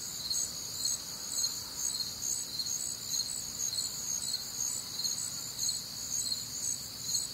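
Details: Crickets chorus on a warm, humid Midwestern summer night: dense, shrill, high-pitched trilling in stacked bands, pulsing roughly twice a second, with a steady low background hum beneath.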